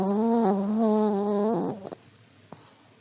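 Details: A sleeping old Pomeranian snores: a long, level, reedy whistle through the nose, ending in a wavering flutter and a few soft clicks before quiet.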